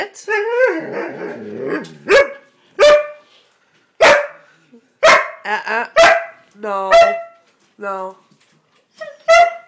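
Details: Complaining Siberian Husky refused a spot on the bed, answering a person's no with roughly a dozen short, clipped woo-barks and wavering moans, some with a buzzy lower tail, at irregular intervals.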